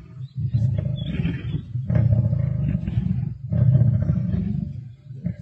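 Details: Black Dam male lions feasting with the Avoca Pride, Sabi Sands, 31 March 2024: three long, rumbling, pulsing growls, very low and resonant, each swelling then dropping away, with faint rustling between.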